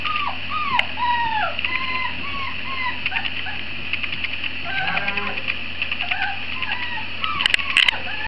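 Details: Great Dane puppies around 50 days old from a 2016 litter give many short, high, downward-curving whimpers and whines, several pups at once, over a constant low hum.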